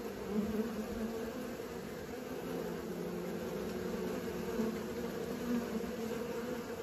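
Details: Continuous humming of honey bees on their first flights, a low steady buzz with a clear overtone band and occasional brief brighter whines as individual bees pass close.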